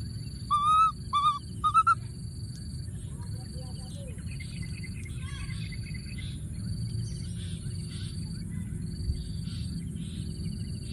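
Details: Young monkey tucked in a thorny tree keeps calling for its friend, giving three quick, high, quavering whistled cries at the start, then silence apart from a regular pulsing insect drone and low background rumble.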